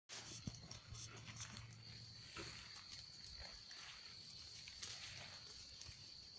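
A European hedgehog snuffles and snorts in short, breathy bursts over a steady high whine.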